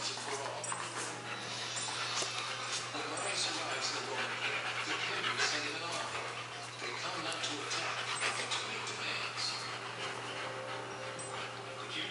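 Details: German Shepherds Max and Ace playing on September 14, 2015: rapid, breathy, noisy panting, roughly four puffs a second, running steadily throughout with occasional whimper-like catches. Human voices mingle in the background, over a constant low hum.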